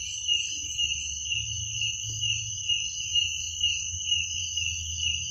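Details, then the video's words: Crickets at night: a steady, shrill high trill with a fainter higher overtone, pulsing gently without pause, over a soft low rumble. "Suara jangkrik pada malam hari"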